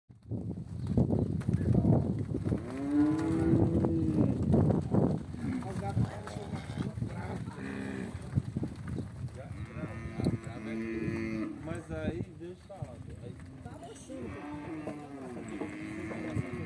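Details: Angus crossed with Nelore beef cattle lowing: several deep, drawn-out moos overlapping through the first five seconds, then further rising-and-falling moos from more than one animal, with rustling and shuffling herd noise throughout.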